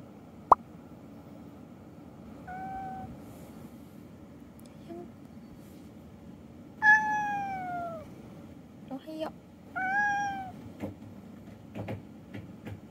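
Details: An indoor pet cat comes to wake its owner in the morning, giving a few drawn-out, falling meows, two louder and clearer ones near the middle, with a faint earlier mew, soft rustling and taps in a quiet room.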